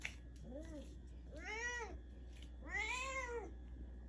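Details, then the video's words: House cat in a small room that came running, mistaking a potassium supplement for a treat, gives three meows: a short soft one, then two longer, louder arched meows about a second apart. "영양제가 간식인줄 알고 달려온 고양이"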